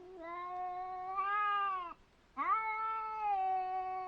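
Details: Two cats meeting: long, steady, nasal wailing tones, each held for over a second, with a short silent gap between two drawn-out cries that rise slightly and then sag.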